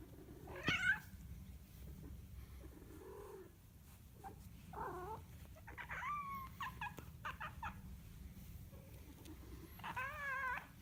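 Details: A cat gives scattered, wavering meows and short yowls separated by quiet gaps, over a steady low background hum.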